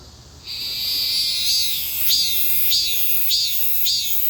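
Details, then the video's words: A cicada's cry begins half a second in as a high, sizzling drone, then turns into rhythmic pulsed bursts repeating roughly every half second. "매미의 울음소리"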